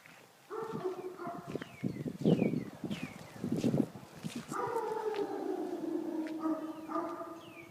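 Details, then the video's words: Dog shut in a garage, responding to his name, heard barking through the garage door toward a fire house basement; sharp barks give way to a long, sustained, slowly falling howl, with a person calling nearby. "Phineas barking through the garage door to the fire house basement."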